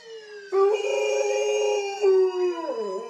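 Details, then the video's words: Male Alaskan Malamute howling in response to sirens: a sustained, tonal howl that begins abruptly, holds a steady pitch, and falls away at the end, with a fainter siren-like tone beneath it. "My malamute howling at sirens"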